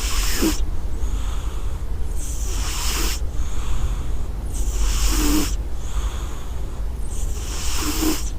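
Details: Soft, airy snores from a cat, four breathy inhalations roughly every two seconds, each ending with a small nasal click, and a constant low hum underneath.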